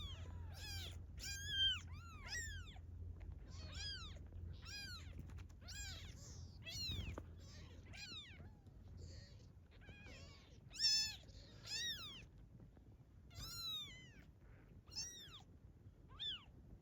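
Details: A domestic cat that stayed after being fed and later returned with several newborn kittens. Thin, high-pitched mews repeat rapidly, about one per second, some louder and longer, over a quiet background.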